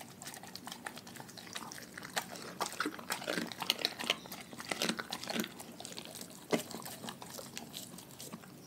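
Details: A pack of dogs eating a raw food diet indoors: dense, irregular crunches and wet smacking bites come in quick bursts, with a few sharper loud snaps in the middle and softer gnawing between them.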